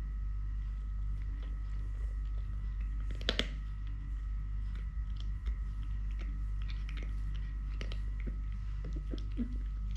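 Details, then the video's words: Pet cat Totoshka, missing one leg since birth, purring as he eats; constant low droning purr with crisp crunching and chewing bursts, one loud crunch near the middle, small indoor room. "LITTLE GREMLIN PURR PURR | Having Food, Playing, Walking, Fighting with hand, purring"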